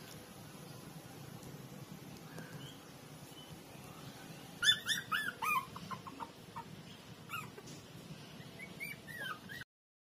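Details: Little street puppies, walking for about a week, play by sucking and biting each other; after a quiet stretch a burst of thin, high whiny squeaks and yelps arrives mid-way, with a few more rising whines near the end over low background hum.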